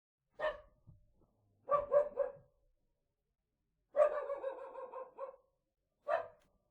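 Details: Small dog barking indoors: short sharp yappy barks, single and in quick bursts of two to five, with pauses of one to two seconds between groups.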